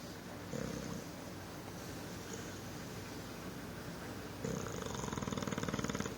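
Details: A recently adopted adult male rescue English Bulldog snores in low, rattling bursts with a fluttering rasp; English Bulldog.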